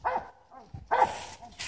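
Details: Oreo the dog at play lets out two sharp, arched barks about a second apart, with rich harmonics. A softer whimper-like sound falls between them.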